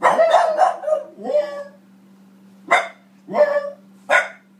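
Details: Female French Bulldog Boston Terrier barking indoors at her own image on TV. A person speaks warmly over a few short yips first, then three sharp separate barks follow after a pause, over a steady low hum.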